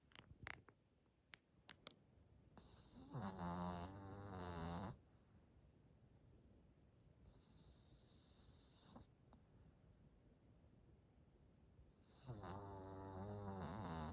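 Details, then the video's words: Hodu, a smooth-coated senior Chihuahua aged 91 months, snoring after a two-hour walk: long rasping snores with buzzy harmonics, each lasting about two seconds and separated by quiet breathing gaps. A few sharp clicks come near the start. "단모치와와 호두/ 2시간 산책 후유증 코골이ㅋ"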